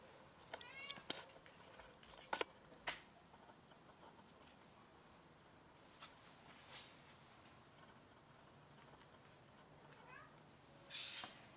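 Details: Domestic cat that has caught a rat and brought it to show off, meowing: a few short harmonic meows early on, then a quieter rising meow near the end, with scattered clicks and a brief noisy burst in a quiet indoor setting.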